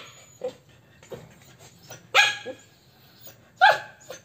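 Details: A Corgi and an Alaskan puppy play together. Soft yips are followed by two loud, sharp barks about one and a half seconds apart, with faint background hum.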